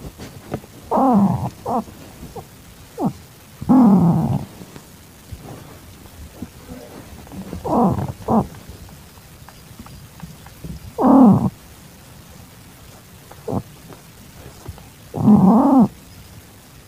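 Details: Calico-tabby pet cat in heat, filmed on a September evening in 2021 while taking in a calico kitten. Low, moaning yowls of about a second each, repeated every three to four seconds over a soft background hiss.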